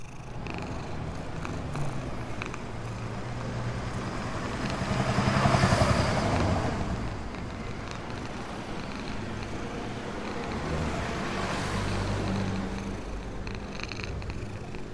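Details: Homeless black cat purring contentedly while fed near a store, a low pulsing rumble running throughout, joined by passing vehicle noise that swells twice in the background.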